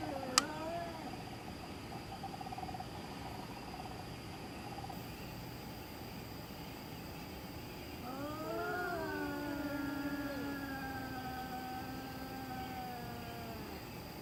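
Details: Domestic cat calling in the middle of the night: a short wavering wail, a quiet pause, then a long rising-and-falling yowl that slowly descends and trails off, with a steady low hum behind.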